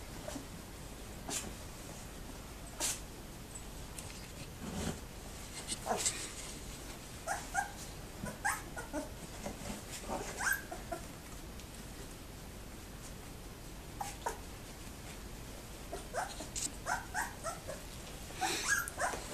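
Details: Labrador Retriever puppies two weeks old in the whelping box, lively: brief high whimpers and squeals scattered throughout, some in quick runs, over steady scratching, rustling and clicking of small bodies moving about.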